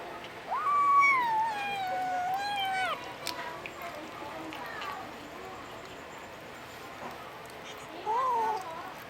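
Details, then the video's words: Puspin kitten, Domestic Short Hair, in the Philippines giving a long drawn-out meow of over two seconds that rises, wavers and falls, then quiet, then a short rising-falling mew near the end. "Kitten - Funny Cats! makes funny sounds"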